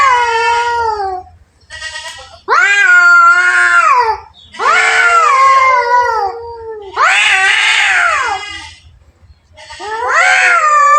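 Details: Two domestic cats fighting: long, wavering, strongly harmonic yowls that rise and fall, each lasting one to two seconds, coming in five bursts with short silent gaps, some harsh and strained.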